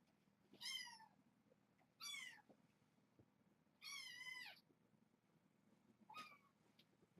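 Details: Foster kittens waiting for canned food at dinnertime indoors: four separate drawn-out meows, each about half a second long, rich and slightly falling, spaced roughly one to two seconds apart over a quiet room background.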